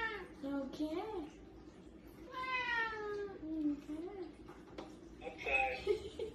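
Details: A domestic cat meows several times indoors, giving drawn-out meows that rise and then fall, with a higher, shorter meow near the end. A human voice talks in the background.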